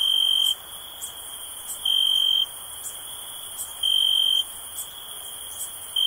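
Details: Cricket chirping for relaxation: high, pure, steady trills about half a second long, repeated roughly every two seconds over a continuous thin background hum of insects, with faint ticking higher up.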